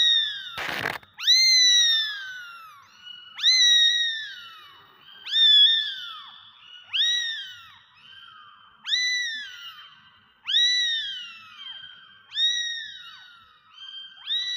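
Several kittens mew in high, piping voices. Each call arches up and slides down, and the calls overlap in a steady, insistent series after a brief sharp noise at the start.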